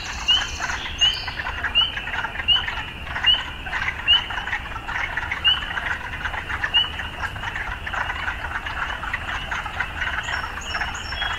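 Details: Frogs amid urban life: a softer background chorus of croaks with distinct rising chirps roughly every second early on, then thinning out, plus a brief high twittering near the end.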